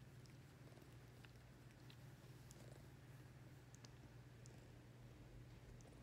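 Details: Ring-tailed lemur purring while being petted: a steady low continuous rumble with a soft even pulse, faint clicks and rustles above.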